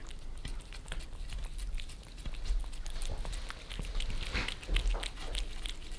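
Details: Two pet cats in Germany, Lissy, a Maine Coon, and Fritz, a British Shorthair, lick their favourite creamy treats off a glass table, filmed from below; rapid wet clicks and smacks come in uneven bursts over a soft low rumble.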